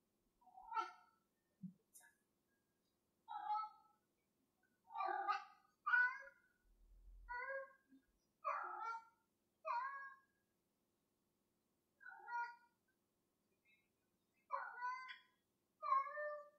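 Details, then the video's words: Indoor cat playing with a piece of string, giving a series of short, clear meows, some rising and falling, spaced one to two seconds apart, with quiet gaps between and a faint low thump. "meowing with a piece of string"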